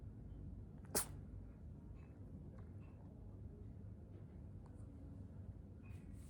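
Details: Crumble, a shy tri-color female British Shorthair cat, sneezes once indoors: a single sharp, broadband burst near the start, followed by quiet low room hum and a few faint soft clicks.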